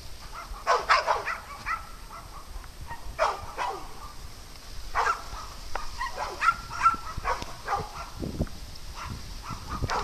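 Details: Dogs at play on a farm give scattered sharp barks and yips in short bursts, some doubled, with a thin steady high tone running beneath and quiet outdoor background.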